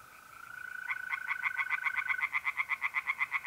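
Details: Tree frogs singing by a pond on an April night in north-eastern Italy: rapid pulsed croaks, about four per second, building in loudness, over a steady high trill of mole crickets.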